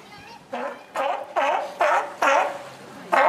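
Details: Sea lion at Higashiyama Zoo giving an unusual call, said to resemble the comedian Shimura Ken: a series of loud, hoarse, honking barks roughly every half second, each with a wavering harmonic tone.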